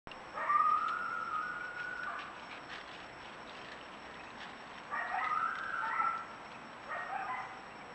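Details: Coyote gives drawn-out, wavering howls with a pause between them and a broken yip at the end, captured by a false camera trigger with nothing on screen.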